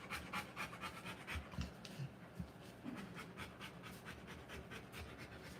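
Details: A Rottweiler in labour, delivering puppies, panting fast and hard. The airy gasps repeat roughly every quarter second with a slightly uneven rhythm, backed by low soft thumps and rustling.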